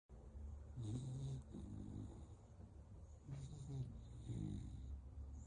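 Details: American Bully dog asleep indoors, snoring in slow deep rasping breaths, two long rumbling snores about three seconds apart with a softer breath between, quiet room.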